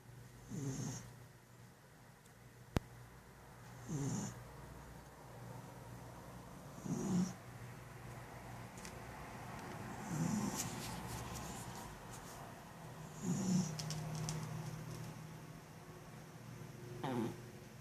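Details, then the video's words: Sleeping house cat snoring after a meal: six soft, wheezy breaths in a steady rhythm about every three seconds, each a low rasp topped by a gentle hiss, against a constant low background hum. "snoring cat"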